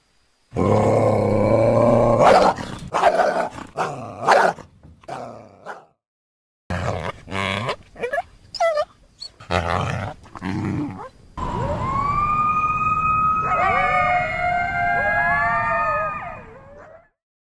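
Coyotes give harsh growling barks, then break into a chorus of wavering, sliding howls and yips.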